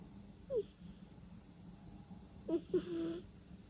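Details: A cat sleeping and snorting through its nose: a short squeaky whistle, a pause, then a longer wheezing breath with stuttering nasal squeaks and a hiss, in a quiet room without music.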